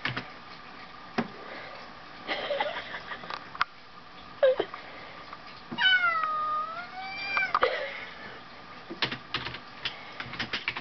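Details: Two domestic cats play-fighting at home, the fat one making high-pitched sounds; a wavering, rising-and-falling high whine lasts about two seconds midway, with soft squeaks, scuffles and thumps around it.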